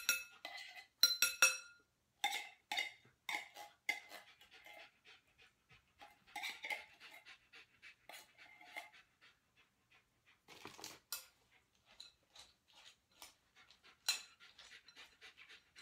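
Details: Giant Schnauzer Lilly holds a down-in-place during training in Columbia, South Carolina, waiting for her food. Rapid airy panting, about two and a half breaths per second, is loud at first and then softer, with a louder spell toward the end.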